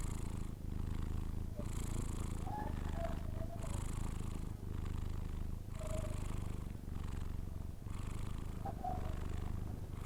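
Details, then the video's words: Persian cat asleep, snoring with a continuous deep rumble. Hissing breaths swell and fade about every two seconds, with faint higher squeaks in between. "record my Cats snore when he sleeping"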